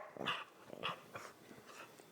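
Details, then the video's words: Female pet dog 'talking' indoors, with a lot on her mind: a run of about five short, tonal whining yowls, each bending in pitch, spaced roughly half a second apart and fading toward the end. "Talking dog"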